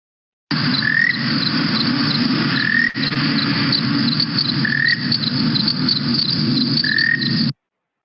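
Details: A cliff chirping frog in Wimberley, central Texas, gives brief, high, slightly rising chirps every couple of seconds over a loud insect chorus. It is recorded mostly giving its short trill, and it breeds in cliffs and crevices.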